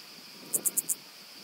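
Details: Calliptamus italicus stridulating on Pag, Croatia, early September 2019: four short, sharp, very high hissing pulses in quick even succession within half a second, then only faint hiss.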